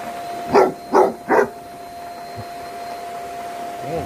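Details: Angus, a pet Basset Hound, barking while scared of the vacuum: three deep, loud barks in quick succession about half a second apart, then a steady tone, with a person saying "no no" right after.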